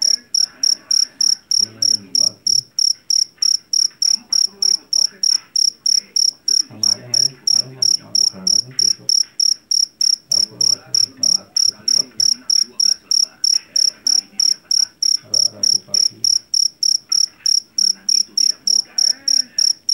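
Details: .Jangkrik jeliteng, a Java cricket caught in a rice field, known for its loud voice: shrill, high chirps pulse steadily about three times a second for the whole stretch, over faint low background murmuring.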